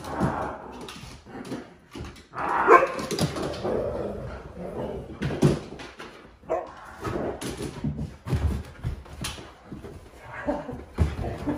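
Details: Indoor huskies startled by a scary movie costume prank give scattered whimpers and a brief sharp yelp amid clattering, thumping movement and room noise.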